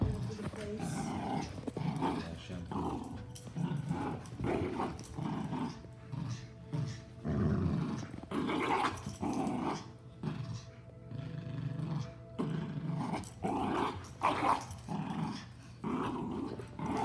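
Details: Miniature schnauzer and giant schnauzer fighting, with rough, rumbling growls and snarls coming in rapid irregular bursts throughout, over background music and occasional human voices.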